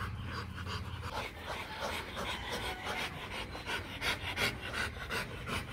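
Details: Rottweiler during a mating session between Marvin Gervi and Kacyno Gervi, male courting female; fast rhythmic panting at roughly three breaths per second, steady and breathy, with faint voices and low background hum.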